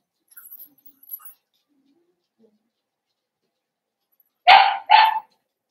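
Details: Young blenheim Cavalier King Charles Spaniel puppy in an indoor puppy pen, litter born at New Year's: mostly quiet, then two sharp, closely spaced barks at the end.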